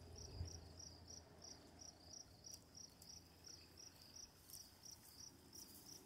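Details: Crickets at night with running water nearby: bright, clipped chirps repeat about three times a second over a constant low watery hiss, with faint higher crackles late on.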